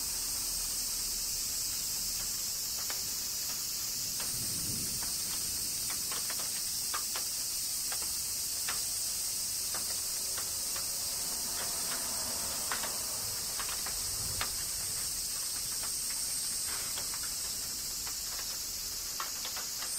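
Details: Summer rain in Kyoto, Japan, with cicadas: a constant high-pitched hissing drone runs the whole time while scattered sharp raindrop ticks and splats fall irregularly, plus a few soft low thuds.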